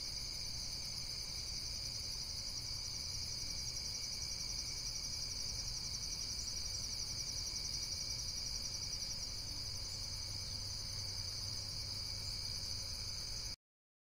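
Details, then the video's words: Insects calling in a nature setting: a steady, unbroken high-pitched shrill trill like a cricket chorus, holding constant for about fourteen seconds over a soft low background hum. "Amazing Insects World - Relaxation Video with Various Nature & Insects Sounds"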